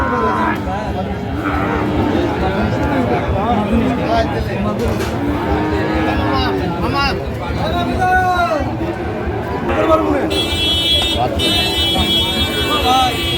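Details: Young Sahiwal bulls for farming, traded at the Ambari haat in Dinajpur, Bangladesh, first day of Ramadan 2025. Short and long moos come from several animals in turn, mixed with voices, crowd noise and a passing vehicle.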